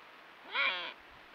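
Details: An Iberian ibex, one of a group gathered on a limestone ridge on a rainy night, gives a brief, nasal, bleat-like call that rises at the start and then holds steady.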